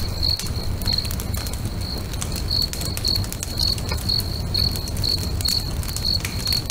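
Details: Repeated high, thin cricket chirps near a lake at sunset, pulsing regularly about twice per second, mixed with the irregular cracks and hiss of a crackling bonfire and a steady low-frequency roar.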